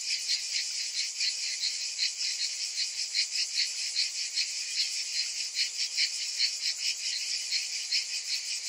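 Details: A hot summer afternoon chorus of cicadas: high, hissing buzz held without pause, throbbing in uneven waves about twice or three times per second.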